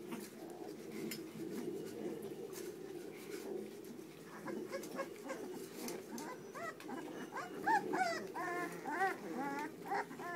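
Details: Puppies giving thin, arched whimpers that grow more frequent in the second half, each cry rising then falling, over a steady low murmur of background noise.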